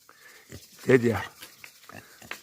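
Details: Free-range wild boar in the morning, one of three eating feed after a hungry night; one deep, harmonic grunt lasting about a quarter second, with a man's voice talking before and after.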